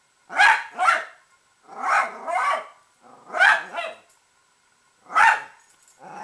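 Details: Italian Greyhound kept as a pet, barking at hated squirrels: bursts of two quick rough barks, some slightly growly, repeated about every one and a half seconds, with a softer bark trailing off at the end.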